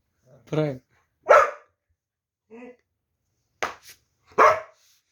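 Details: Puppy barking with a short spoken voice nearby: two sharp barks about three seconds apart, separated by brief quieter sounds.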